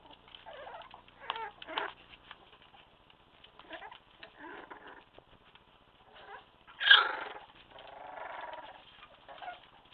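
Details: Staffordshire Bull Terrier puppies, a litter of two males and three females about one month old, giving scattered short whimpers and squeaky whines with a sharper, louder yelp partway through, against a quiet indoor background.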